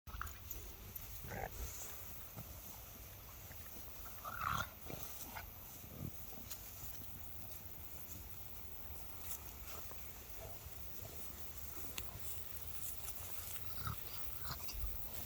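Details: A French Bulldog gives short, snorting sneezes in bursts while crawling, against a steady background hiss.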